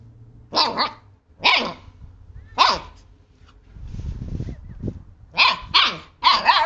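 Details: Siberian husky puppies, male and female siblings, playing with a hand, give a run of high-pitched yips roughly every second, with a short scuffling pause in the middle before three quick barks close together.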